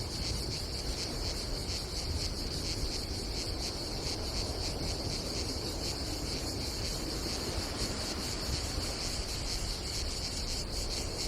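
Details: Cicadas on a summer day at a campsite above the Adriatic Sea in Croatia, a steady high buzzing chorus with fast pulsing throughout, over a constant low rumble of wind and sea.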